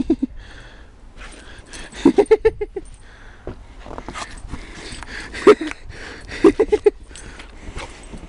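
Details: Pembroke Welsh Corgi trying to eat snow, giving short, high, clipped barks in quick runs of three or four, around two, five and a half, and six and a half seconds apart, amid soft rustling and an occasional human voice.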